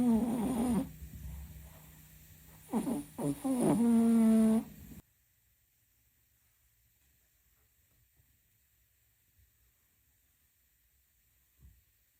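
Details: Kem the cat snoring loudly in sleep. Two raspy, rumbling snores fill the first five seconds, then near silence with a faint soft thump at the end.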